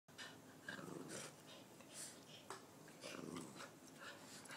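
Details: Two Boston Terrier pups fighting over a chew toy growl, snort and wheeze in rough play.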